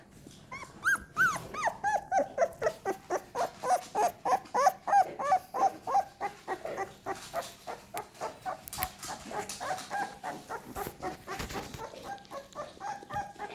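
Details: American Staffordshire Terrier puppies from a litter, crawling and growing more active; one pup whimpers in steady, repeated yelps about three per second, first falling in pitch then holding level, fading toward the end among quieter rustling.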